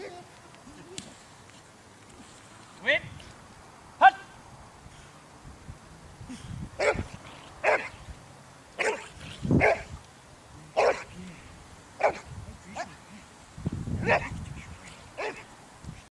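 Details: Boxer from the Boxer Club training for character tests (APE and Selection) ahead of the regional breed show, at the canine education centre of St Georges d'Orques. Loud, sharp barks repeated about once a second in the second half, with a handler's speech earlier and a faint low rumble.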